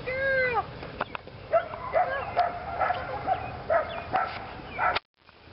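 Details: Female Belgian Malinois Lily during PSA leg-sleeve bite training; a drawn-out falling whine opens, followed by a string of clipped barks amid background noise, ending abruptly.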